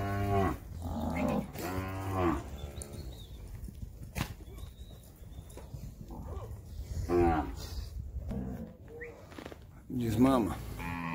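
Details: Nelore cattle being called and moved on a Brazilian farm during calf weaning; several loud, drawn-out harmonic moos in the first three seconds, then two more near seven and ten seconds, with low rumbling background.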